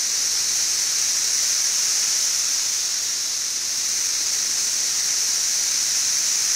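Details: Periodical cicadas of the 17-year brood XIV on the west side of Frankfort, central Kentucky, June 2008, about two weeks after their mass emergence in late May and quieter than at peak: a dense, high, unbroken hissing drone with no other sounds.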